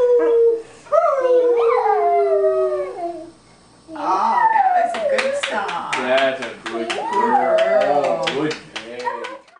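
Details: Dog howling along as people sing Happy Birthday to a three-year-old child indoors: long, sliding, wavering howls rising and falling, mixed with the sung melody and voices of the singers.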